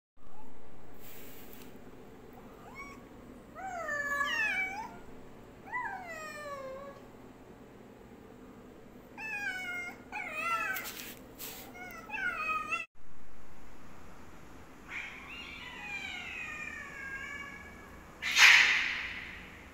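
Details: Black cat squaring up to a white cat, giving a run of drawn-out harmonic yowls that rise then fall, several in quick bursts, with a loud sharp noise near the end.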